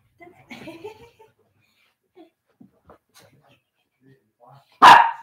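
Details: Senior Shih Tzu and a puppy in rough play, on a live cam indoors; a person talks quietly at first, then one sharp, loud bark bursts out near the end.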